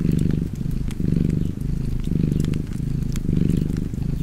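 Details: Cat's rumbling purr, loud and close, rising and falling in regular breath cycles, while a fireplace crackles faintly with quick, dry clicks.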